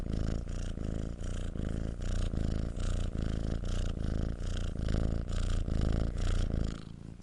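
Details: Close purring of a domestic cat, a deep buzzing rumble in regular breath-paced pulses about three per second, tapering off at the very end.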